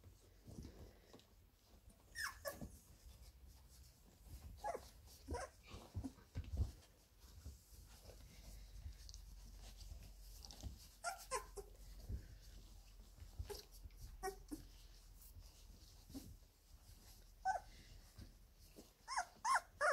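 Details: Seventeen-day-old Labrador Retriever puppies at play in their whelping box, giving scattered short, high squeaks and thin whines throughout, in irregular bursts every few seconds. Soft rustling and bumping sit between the calls.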